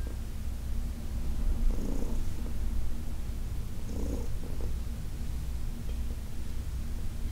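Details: Senior adopted cat Heidi purring under massage, summer 2021; a low continuous drone with two fainter breathy swells a couple of seconds apart.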